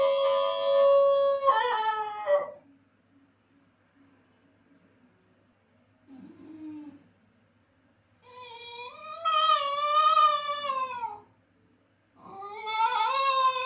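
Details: Basenji left alone while its owner is away, giving drawn-out wavering howls with a falling end, a long quiet gap with a faint whine, then another howl starting, inside a room.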